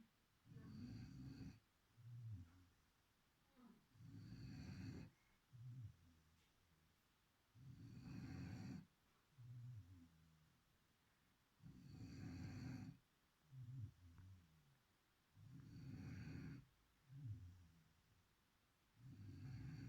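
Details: Sleeping beagle named Chipi snoring steadily: rhythmic cycles of a short, gurgling intake and a heavier, drawn-out rasping snore, about sixteen cycles a minute over twenty seconds, with no other sounds intruding.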